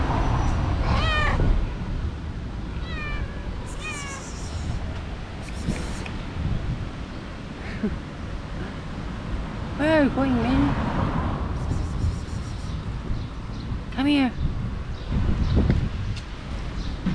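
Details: Domestic cat family, a mother cat with four mischievous, very active kittens, the mother refusing to nurse them: three clear meows rising then falling, at about one, ten and fourteen seconds, over steady low rumbling background and human voices.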